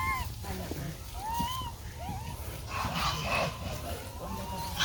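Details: Baby monkey, together with its brother, crying loudly to find its lost mother: a series of thin, arched whining cries that rise and then fall, about five in under five seconds, over steady background rumble and noise.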